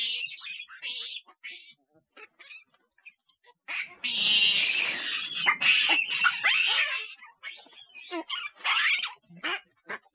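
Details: Monkeys calling loudly in a sound meant to attract others nearby: scattered squeaks at first, then a long harsh screaming bout of about three seconds, followed by shorter shrill cries.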